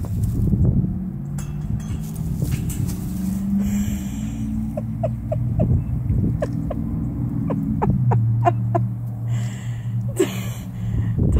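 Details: Tonka, an Alaskan Malamute, senses a hidden cat above him that he cannot see and lets out long, low, drawn-out grumbling moans that waver up and down in pitch, with scattered sharp clicks and taps alongside.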